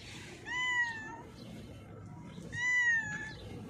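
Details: Female cat, blind in her left eye, hiding under a mixer truck after being called, gives two clear, drawn-out meows about two seconds apart, each gently rising then falling, over a low background rumble.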